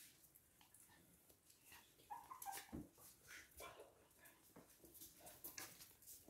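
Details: Toy and miniature poodles in Hahnstätten, 19 February 2022: a short, high whining whimper bends and wavers near the middle, surrounded by shuffling, scratching and other indoor handling noises.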